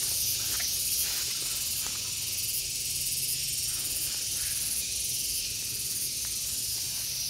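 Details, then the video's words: Gareng pung cicada in a continuous shrill, hissing buzz held high and steady, with a faint pulsing of about four beats per second running through the drone. "SPECIAL SOUND IN GARENG PUNG"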